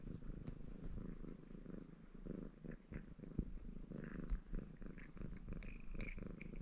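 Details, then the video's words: {'caption': 'Baron, a red Maine Coon male, purrs contentedly during grooming; a dense low rumble runs throughout, interrupted by soft clicks and licking noises, with a faint higher squeak near the close.'} "Рыжий кот мурчит и умывается"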